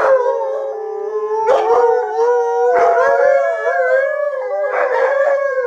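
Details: Malamute trio Sojou, Fish and Dotty breaks into howling at the sight of themselves and their friends on screen; layered drawn-out howls in harmony, punctuated by short yips roughly every one to one and a half seconds.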